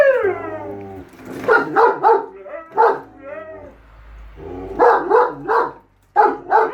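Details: Two dogs, German Shepherd Enzo and Husky Shira, quarrelling about the lawn mower: a falling howl, rapid triple barks, short rising whines, then more clustered barking after a brief pause.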